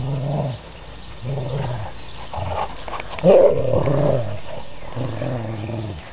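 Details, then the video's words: Growling from pet dogs during a tug-of-war game over a sock: low rumbling bursts about one second long, separated by short pauses, with a louder, harsher snarl in the middle. "Dogs Playing With A Sock"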